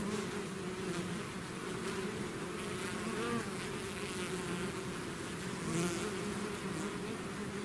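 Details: Continuous buzzing of a swarm of bees leaving their hive: a thick, even hum with faint wavering tones as individual insects fly near, no other sounds.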